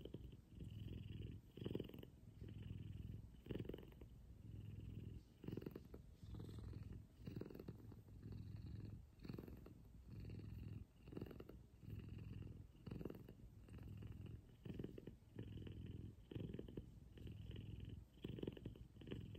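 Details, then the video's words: Loud morning purring from Kumba, a large F2 Savannah cat being cuddled: a throbbing low buzz rising and falling with each breath, around thirty cycles a minute, sustained and even throughout, close to the ear in a quiet room. "Soothing Purrs And Cuddles. Big F2 Savannah Cat Kumba."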